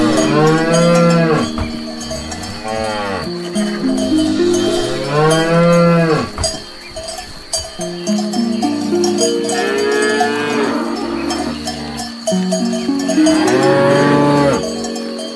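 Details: Cows feeding on grass moo repeatedly, deep harmonic calls swelling and fading about every three to four seconds, accompanied by persistent bright cowbell ringing.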